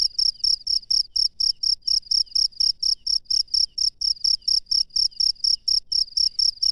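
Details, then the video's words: Wild cricket at night, singing a steady run of short, high, shrill chirps, about four each second, evenly spaced and unbroken, with only a faint low rumble underneath. "SUARA JANGKRIK LANGSUNG DARI ALAM LIAR DI MALAM HARI"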